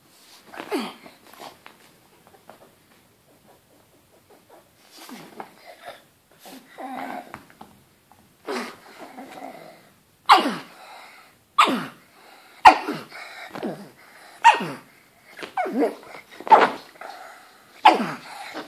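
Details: Pug barking at a banana indoors in a small room: a run of short, sharp barks, sparse at first, then coming roughly every second or two and growing louder toward the end, with some wheezy snorts between them.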